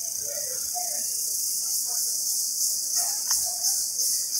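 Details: Shrill, steady metallic buzz of an Indian cicada in the jungle, sustained high and loud for the whole stretch, with scattered soft lower chirps beneath.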